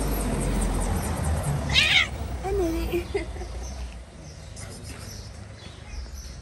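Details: Stray cat in Morocco, one of many friendly strays, gives a single short, bright meow near the two-second mark, followed by a softer low tone, over a steady low background rumble with faint voices.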